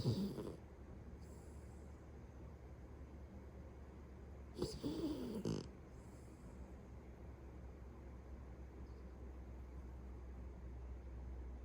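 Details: Sleeping household Beagle giving two rasping snores, one at the very start and a longer, gurgling one midway, with quiet breathing and low hum filling the gaps.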